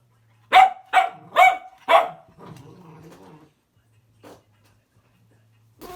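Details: Louis Philipp, a tricolor Cavalier King Charles Spaniel kept as a family pet in Munich, Germany, gives four sharp barks in quick succession, followed by softer grumbling vocal sounds and a brief yelp near the end.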